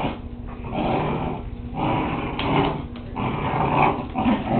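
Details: Whippet puppies playing, recorded on a Kodak DX6440 Zoom digital camera: low rumbling growls come in bursts of about a second, swelling and fading repeatedly, with muffled thumps of play in a small room.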